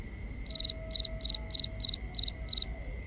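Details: Crickets chirping at night, binaural ambience: seven evenly spaced loud high chirps about every third of a second, each a quick triple pulse, over continuous steady high tones, a faint lower whine and quiet rumble.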